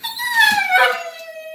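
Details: Pet dog Petunia, wanting to play with Stella, gives a dolphin-like squealing whine indoors: one high tonal note that slides gently downward and holds steady, rich in overtones, with no other sounds.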